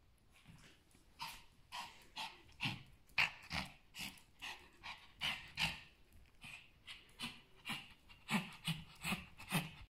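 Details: Pomeranian named Salamon, fighting fiercely with a mosquito: rhythmic panting bursts, roughly two per second across ten seconds, breathy and hissing, with a few soft whimpering tones mixed in.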